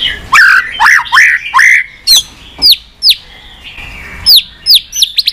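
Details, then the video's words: White-rumped shama singing to stimulate caged shamas: loud warbled whistles, then a series of sharp downward-curving high notes spaced about half a second apart. "Chòe lửa tạch liên tục.dùng Kích Chòe Lửa yếu lửa,kích bổi nhanh lên lửa hiệu quả,chòe lửa đập đuôi"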